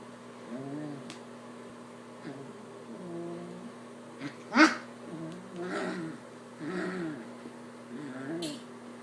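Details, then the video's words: Pet puppy making playful growls and funny noises indoors: a series of low, wavering grumbling sounds in short bursts, with a sharp louder squeal near the middle and a steady background hum. "He's a Growler Cute Puppy Makes Funny Noises"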